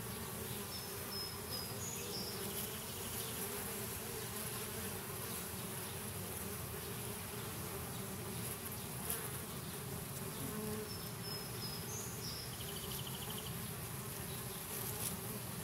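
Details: A dense, steady hum of many honey bees buzzing together at a hive.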